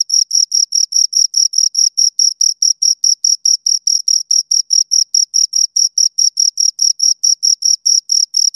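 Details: Steady chirping from two crickets: shrill, evenly spaced pulses about four per second, very regular and close, with a silent background.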